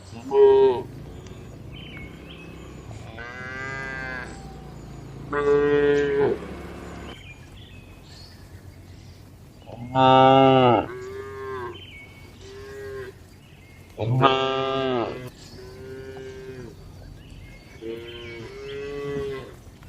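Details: Dozens of tame cattle relaxing, eating and moving calmly inside a spacious farm barn; several harmonic moos, some long and rising, others short, come every few seconds from different cows, with quieter barn noise between.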